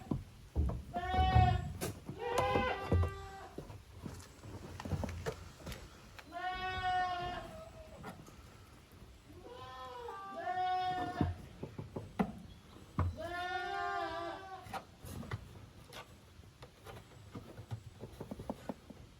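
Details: Goat kids from two litters, Koharu's and Okayu's, at play in the exercise yard of a handmade goat farm, 13 June 2023; repeated quavering bleats roughly every few seconds, some overlapping, over low rumbling and scuffling noise.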